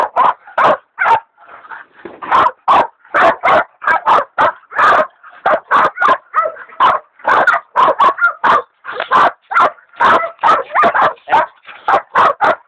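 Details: Hog dogs Dixie and Dollie bay a large sow hog, Dollie being a leopard dog in training; dense, steady volleys of sharp barks, several per second, the two dogs' voices overlapping throughout.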